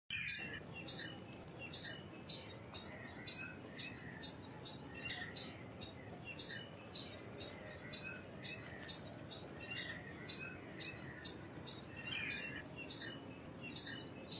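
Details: Indian palm squirrel giving sharp, high-pitched chirps repeated about every half second in a steady run, each chip bright and clipped, over a faint hiss of background noise.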